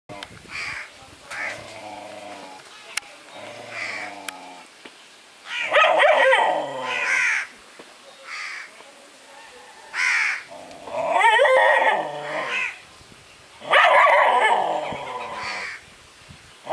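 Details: Dog barking at itself: faint short calls early on, then loud, drawn-out, yowling barks in bursts about a second or two long, spaced several seconds apart.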